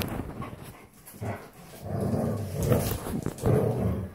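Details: Standard Poodles at play, three breeding females with Onyx: low rumbling growls and snuffling swell in strength over the second half, with soft thumps of movement underneath.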